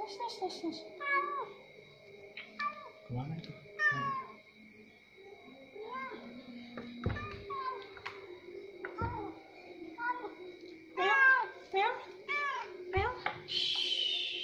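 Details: An orange cat being fed at the pre-dawn sahur meal, giving repeated short harmonic meows, some rising then falling, among people talking, a steady tonal hum and clinking sounds.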